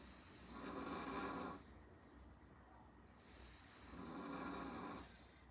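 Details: Zhaocai, an eight-month-old Chihuahua born 25 August 2024, snoring while asleep indoors: two long, raspy, breathy snores about three seconds apart, each lasting over a second, separated by quiet pauses.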